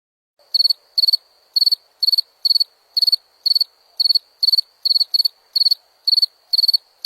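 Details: Cricket song: crisp, high chirps made of rapid pulses, repeated about twice a second with slightly uneven spacing, in a quiet setting.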